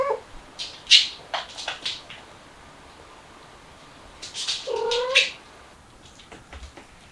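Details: Mother cat with her kittens, trying to escape through a window: a short meow near the start, then a longer, wavering meow about five seconds in, with sharp taps and clicks scattered between the calls.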